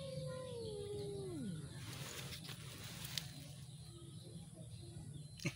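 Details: Cat during a cat fight, giving a single drawn-out tonal yowl that slides smoothly downward from a mid moan into a low growl over about one and a half seconds, then fades into steady low background hum and outdoor noise.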